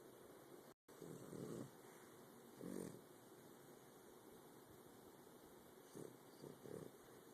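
A French Bulldog snores in rough, rattling breaths, a few seconds apart.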